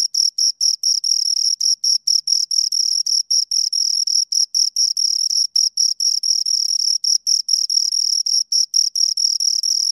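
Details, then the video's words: High-pitched rhythmic chirps from two crickets heard right at the ear, a quick series of shrill pulses with occasional short pauses, even and loud, in otherwise quiet surroundings. "Two Crickets Chirp Sounds"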